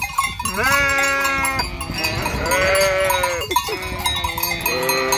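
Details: Flock of sheep by a vacant hotel at Fürigen; several loud, drawn-out, quavering bleats follow one another almost without pause, over steady bell clanking and bustle.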